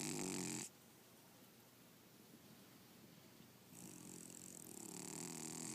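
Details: Sleeping cat named Red snoring indoors: a short rasping snore opens, then quiet breathing, then a longer drawn-out snore that swells steadily over the final two seconds.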